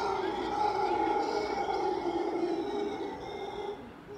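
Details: Howler monkey in Tamarindo, Costa Rica, calling in the morning from a tree by a patio overlooking the ocean; its high moaning cry, likened to a woman crying, holds steady sustained tones with a faint hum of road noise beneath.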